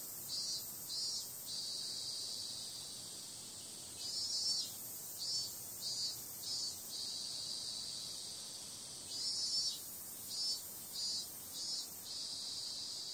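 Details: High insect drone of cicadas on a summer night, steady and shrill, broken by groups of rapid pulsing surges that come and go in clusters.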